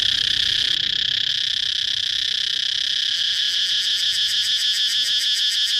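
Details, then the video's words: Cicada singing: a loud, unbroken high-pitched buzzing drone that turns into a rapid pulsing throb during the second half. "cicada chirping sound"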